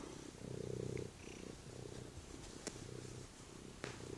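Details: Domestic cat, a male pet, lying on the couch indoors before going to eat dinner; low, rumbling purr in rhythmic pulses, swelling louder then easing, with a couple of sharp clicks.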